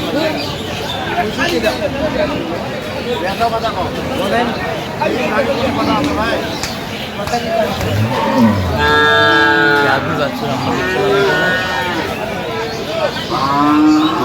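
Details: Cattle at Aftabganj market in Dinajpur, 21 October 2025, where improved-breed milk cows and calves are sold: several short moos near the end break through constant bargaining voices, crowd chatter and faint background music.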